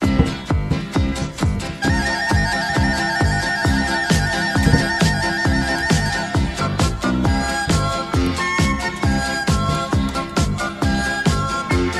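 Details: Upbeat electronic dance music with a steady driving beat, a bright sustained synth line and rapid rhythmic percussion throughout.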